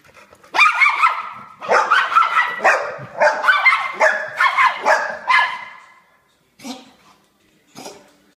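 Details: Pit bull and poodle mix dogs; a rapid run of sharp, harsh barks for about five seconds, then a pause and two fainter single barks.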